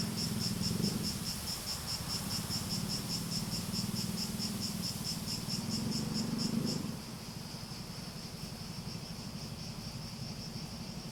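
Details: Cicada chorus with a clearly pulsed, high buzz for about seven seconds that then settles into a smoother, quieter drone. Low humming and rumbling noise is heard in the first part.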